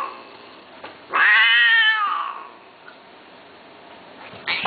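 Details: Persian cat, male and female pairing to mate, indoors: one long, loud, strongly harmonic caterwaul rising then slowly falling, about one and a half seconds long, with a soft short sound near the start and another loud onset at the end in a quiet room.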